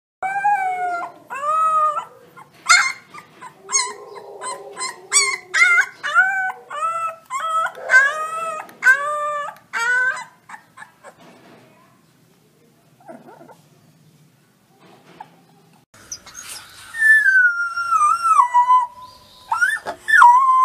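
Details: Wolf pups howling: a run of short, high, rising-and-falling tonal howls and yips for about ten seconds, a quiet pause, then a longer wavering howl that slides downward near the end.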